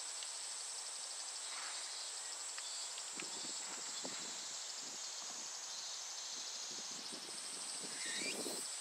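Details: A constant thin, high whirring drone of Japanese cicadas holds throughout. Faint pulsed texture runs within it, with soft low rustling and tapping sounds and a brief rising note near the end.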